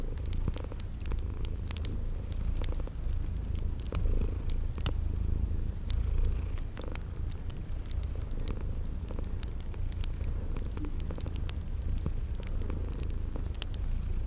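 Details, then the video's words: Sleeping kitties purring beside a crackling fireplace in a spring garden ambience: a steady low rumbling purr throughout, with sharp fire crackles and a high cricket chirping repeatedly in short bursts. "Sleeping Purring Kitties"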